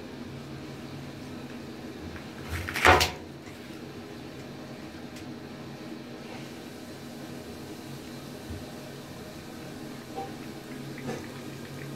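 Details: A quiet indoor room with a steady low hum and a sharp knock or cupboard bang near three seconds, with no animal voice heard.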